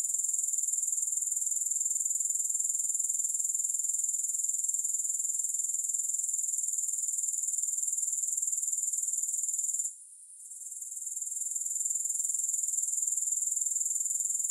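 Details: Continuous grasshopper stridulation: a thin, sizzling, high-pitched drone with rapid regular pulsing. It briefly cuts out around ten seconds, then gradually returns. Nothing else is audible.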